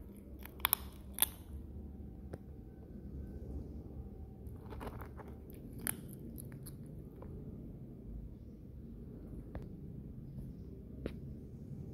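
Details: Soft crunching and chewing from kittens eating are heard indoors, with scattered sharp clicks over a low hum and no meowing.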